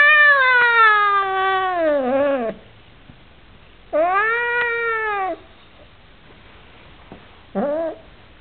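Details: An Oriental Shorthair cat that dislikes his new housemate gives long, loud, drawn-out meows that slide downward, then shorter complaining calls.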